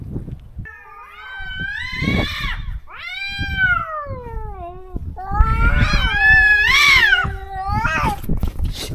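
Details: Stray cat in a countryside yard, separated from its companion after neutering, howling for it: long, plaintive yowls that climb then sag, three extended cries with short pauses and faint background knocking.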